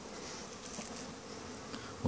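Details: Honey bee colonies in Langstroth-Root hives during winter cleansing flights, single-box colonies fed a candy patty; continuous soft droning buzz throughout, ending with a brief low knock.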